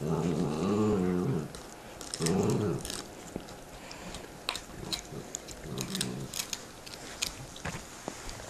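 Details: Pet dogs chewing bones, growling at each other; two short low rumbling growls near the start and another faint one later, followed by crunching, clicking bone-gnawing noises in a small room.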